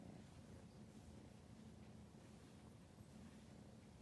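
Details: Ramu, a four-month-old female British Shorthair kitten filmed in November 2019, rolling belly-up while eagerly chasing an LED pointer she is seeing for the first time; a steady, low, rumbling purr pulses continuously throughout.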